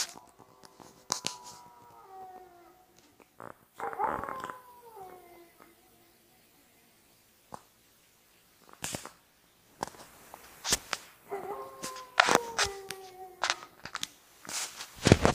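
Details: Wolves howling at an Idaho wolf sanctuary: drawn-out, harmonic-rich howls sliding downward, one at the start and another near the end, broken by sharp clicks, thumps and handling noise.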